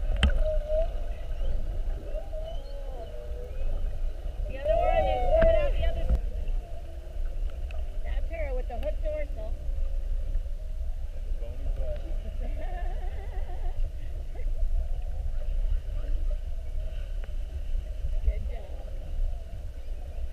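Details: During an hour-long mugging on 21 February 2019, whales spy-hopping beside a whale-watch boat give a varied run of underwater calls: wavering, looping moans and warbling upsweeps clustered around the fifth and ninth seconds, over continuous low boat and water rumble.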